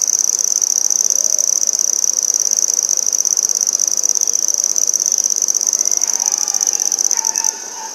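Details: Handsome trig, also called red-headed bush cricket, singing in Maynard, Massachusetts on 14 September 2019: a continuous, very high, shrill trill held steady on one pitch, with faint lower chirps near the end before the level drops.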